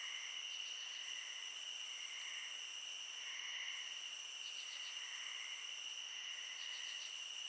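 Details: Night crickets in a clean layered chorus, several steady shrill tones at different pitches, with softer pulsing trills that swell and fade every second or two; no other clear sounds.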